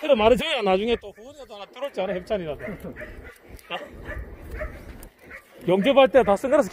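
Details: Shelter dogs at the Yangsan Mindeulle shelter for abandoned dogs in Korea, heard during a volunteer visit: bursts of loud, harmonic barks and yelps at the start, around two seconds and near the end, with people talking throughout.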